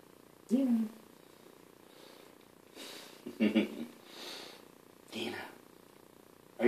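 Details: Nina, a pet cat in a bathtub giving herself a bath, lets out a short curved meow that rises and falls, followed by softer scattered sounds and quiet Dutch speech from people nearby in a small room.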